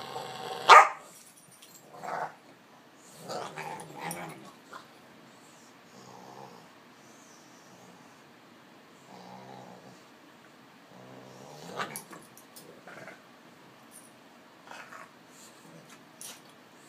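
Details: Olde English Bulldogge puppy Fred, almost five months and over 40 pounds, play-wrestling with Ruby on a couch; a sharp bark opens, then scattered low growls and grumbles come and go in short bursts, with quiet pauses between.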